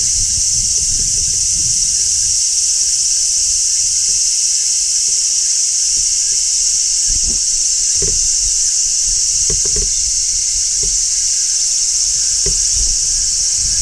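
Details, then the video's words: High, relentless sizzling song of a large brown cicada on a tree in summer, constant in level, overlaid by occasional soft low clicks and taps. "Cicadas Singing in Midsummer | Large Brown Cicada"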